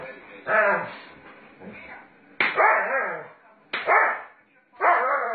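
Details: Sage, a Doberman Pinscher, roughhousing with its owner indoors, lets out four loud, rasping barks with growly tails, spaced roughly a second apart, each rising sharply then fading.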